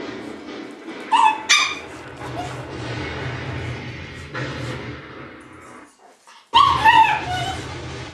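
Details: Shiba Inu puppies giving short high whimpering yips, a pair near the start and a fuller burst of rising-falling squeals later, over a steady low rumbling background noise.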